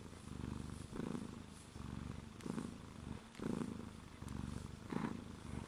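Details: Domestic cat Crêpe purring close up: a low, steady rumble with stacked harmonics that swells and fades in breath cycles about once per second, with a slightly brighter, louder pulse on alternate breaths and no other sounds.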